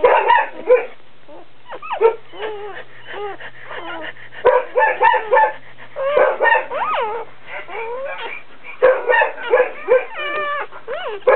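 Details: Dobermann giving birth, a puppy being born: bursts of high, whining squeals and yips with bending, wavering pitch, clustered in short runs separated by brief pauses, over a faint steady low hum.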